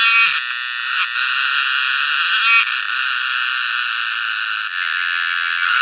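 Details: Steady, piercing cicada buzz heard close up, an unbroken high drone with small dips in loudness and a brief click near the start.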